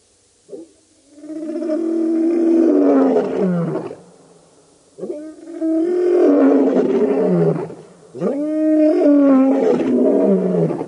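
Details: Lions of the Birmingham Boys coalition roaring at the dam, Djuma Game Reserve, Sabi Sand, Kruger Park, South Africa, August 11–12, 2016: three long, deep moaning roars, each swelling for about three seconds before sliding down in pitch.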